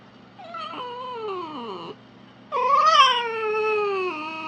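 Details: Fox in the wild: two drawn-out, tonal, whining wails, the first sliding downward, the second rising sharply then easing down, over a faint steady low hum.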